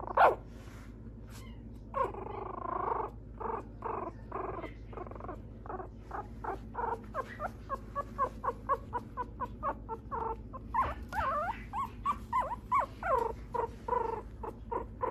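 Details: Mixed-breed dog kept by a dog breeder in Okayama, Japan, giving brief harmonic whines about once a second, then clusters of short squeaky yelps and clicking sounds over a steady low hum.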